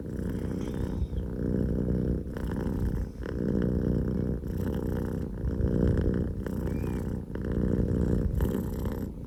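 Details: Deep, throbbing purr of Pokō J, a young male Scottish Fold kitten, rising and falling with each breath about every two seconds, loud and rumbling throughout.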